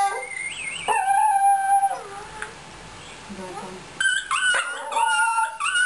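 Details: Fox Terrier dog singing: drawn-out howled notes with rich harmonics, sliding up then holding steady, in two phrases separated by a quiet gap with soft whimpers, the second phrase starting higher and wavering.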